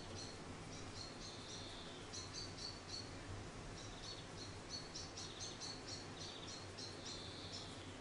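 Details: Charlie, a week-old orphan grey squirrel rescued after falling from its nest in a garden and raised by hand, squeaks insistently in dense high chirping bursts, some notes sliding downward, continuing almost without break.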